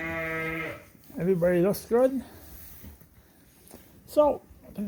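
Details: Suffolk lambs in a barn, their groups mixed after escaping through an open gate: a steady held bleat, then two short wavering bleats and a single higher bleat after a pause, with a quiet gap between.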